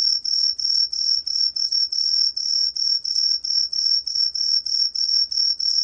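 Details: Green pine cricket giving a continuous shrill whistle, beating in quick regular pulses about three times a second, with a faint low rumble underneath.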